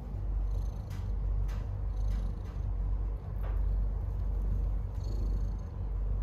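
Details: Stray mother cat giving birth to kittens, purring in a deep continuous drone that swells and eases in slow waves, with a few faint clicks and light rustling above.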